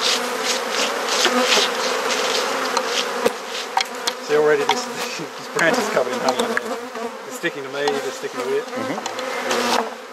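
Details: Garden honey bee hive in Perth, Australia under inspection: a thick, steady colony hum, overlaid midway by wavering tonal sounds and scattered knocks from frame handling.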